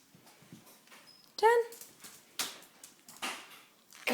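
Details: Pet dog that cries for a chew after her morning walk gives one short, loud, tonal whimper, while a person repeatedly says "down" in a small indoor room.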